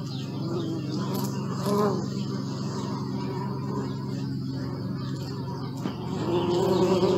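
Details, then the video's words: Low droning buzz of bees, with individual insects flying close twice and the whine growing louder near the end, and scattered faint chirps of birds above the hum. "Bee sound"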